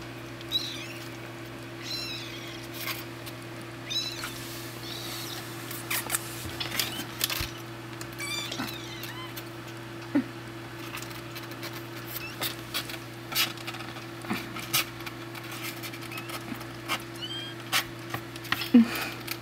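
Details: Two-week-old kittens at play indoors: thin, high-pitched squeaky mews come in short bursts every few seconds over soft pattering and scratching, with a steady low electrical hum underneath throughout.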